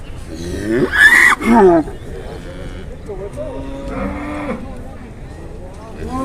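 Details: {'caption': 'Jumbo cattle brought to a livestock market in Indonesia: a short harmonic moo early on, loud bursts of noise, then a sustained low moo near the fourth second, over background voices and market noise.'}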